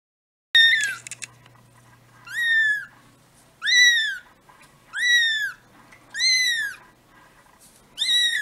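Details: Two-week-old kittens cuddling and sleepy, giving a run of high, arched meows that rise then fall, spaced about every one and a half seconds, with a faint low hum beneath.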